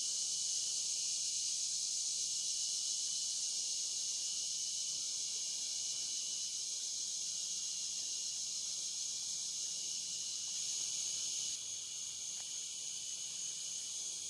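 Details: Riverside cicadas at Morning View on the Licking River, recorded from dusk to dawn, keep up an unbroken sizzling high drone with a thin steady whine on top, briefly rising then easing near the end.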